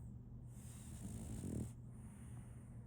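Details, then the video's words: A single soft, rasping snore from Solaimy, a sleeping female French Bulldog puppy, swelling briefly then fading, low and breathy, with a quiet constant hum behind it. "RONQUIDO de un French Bulldog"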